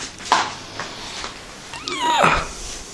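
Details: Six-month-old male house cat that plays fetch, carrying back a toy 'mouse' or foil balls when it wants cuddles or food; two short meows, the second a longer falling cry, with music and a woman speaking Italian.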